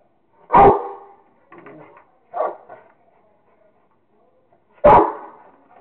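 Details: Rottweiler named Kingston barking while playing with a squirrel: a loud deep bark, a few softer grunting sounds, a second short bark, then another loud bark near the end.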